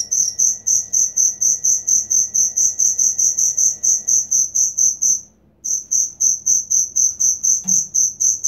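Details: Cricket chirping steadily, used as training material for songbirds: loud high chirps repeated about twice a second in a regular pulse, with one brief pause midway and a faint low hum beneath.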